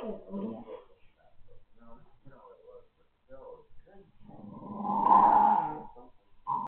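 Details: An American Staffordshire Terrier puppy growls in short, throaty, uneven bursts with quiet gaps while rolling and snorting. The bursts swell into a long, louder rumbling snarl, then a final brief growl. It does this a couple of times a day indoors, for no apparent reason.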